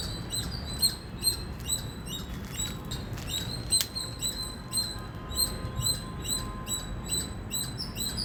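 An Indian squirrel gives sharp, high chirps repeated about twice a second over a low rumble.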